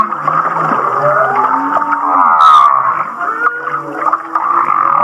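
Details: Humpback whale off Kihei, Maui, singing a song likened to laughter: sliding, descending moans and low groans overlap rapid chuckle-like pulses, with a brief harsh buzzing burst partway through.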